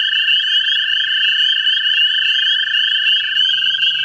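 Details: Overlapping steady trills from American toads courting in a central Ohio vernal pool run without pause; one lower trilling voice shifts slightly in pitch near the end, and a faint low hum appears.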